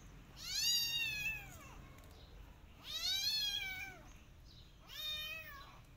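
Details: A Persian cat with her adopted kittens walks in a garden, watching rabbits. Three long, loud meows, each about a second long, rise and then fall in pitch with rich overtones, spaced roughly two seconds apart over quiet background.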